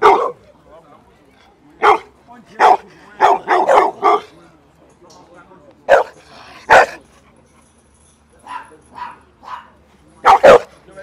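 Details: Bullmastiffs nearly fighting over attention: short, sharp barks burst out irregularly, some in quick pairs, with long quiet gaps between and human voices mixed in.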